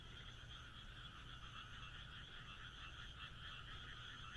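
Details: Countryside frogs in Japan calling under moonlight, many voices merging into a continuous rattling, trilled chorus that throbs gently throughout, over soft low background hum.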